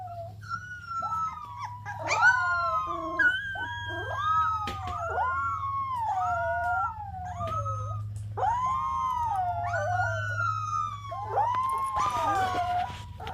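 A golden retriever puppy howls in a run of wavering, rising and falling notes.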